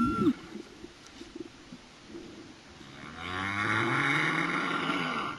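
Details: Humpback whale song recorded underwater off Réunion: a brief low swoop at the start, quiet crackling sea noise, then a long rising buzzy moan with stacked harmonics swelling from about three seconds to the end.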